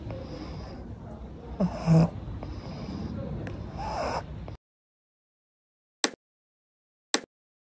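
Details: Sleeping upright in a swimming pool, Pangpang the pug gives rough, snorting snores in uneven bursts for about four seconds. Near-silence follows, broken by two sharp clicks.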